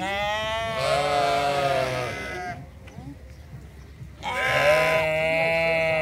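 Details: Sheep (Ovis aries) at the Toronto Islands Centre Zoo bleat in a chorus of long, wavering, nasal cries, one after another with brief quiet gaps.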